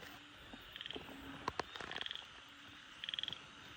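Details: Frogs calling at night after heavy rain while people catch them: short, high, rapidly pulsed trills lasting a fraction of a second, repeated about every second, over a steady low hum, with a few sharp handling clicks.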